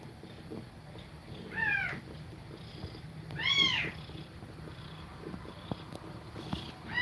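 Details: Domestic cat breathing fast while feeding her kittens milk; two distinct high mews roughly two seconds apart over a steady low hiss, and a faint third call at the end.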